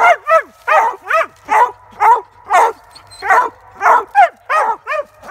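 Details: Treeing Walker coonhound used for squirrel hunting, baying excitedly: sharp, clear barks with downward-sliding yelps, repeated roughly every half second, some in quick doubled pairs, over a soft low hum.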